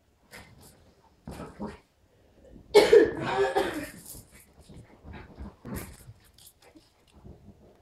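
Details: West Highland White Terrier puppy, two and a half months old, at play indoors alongside a three-year-old dog; short whiny, nasal bursts with a louder cluster near the middle, separated by brief quiet gaps, with faint handling noises.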